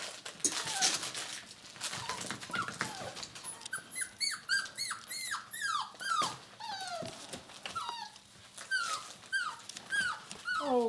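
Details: Six-week-old puppies indoors giving many high whimpers and yelps, short falling whines repeated rapidly, several voices overlapping, with a person talking softly nearby.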